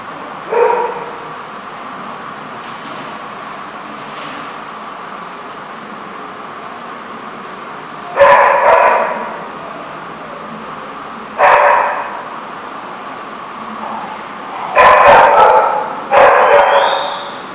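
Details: Dog at The Barking Lot, 14 March 2014, giving sharp, separated barks: one early bark, then a pair around eight seconds, another near eleven, and a quick cluster of three toward the end over low steady background noise.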